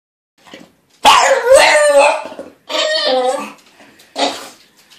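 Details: A female dog fussing about her weekly bath, giving drawn-out, strained, whiny vocal complaints in three bursts: two long harmonic moans with howling quality, then a shorter whine, with quiet pauses between.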